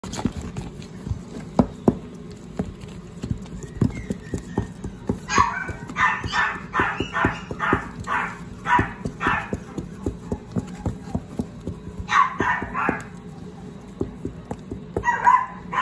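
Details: Energetic gold-and-white female Shih Tzu barking indoors: quiet low hum at first, then a fast burst of about a dozen sharp, high yaps from five to ten seconds, a short cluster near twelve seconds and one more bark at the end.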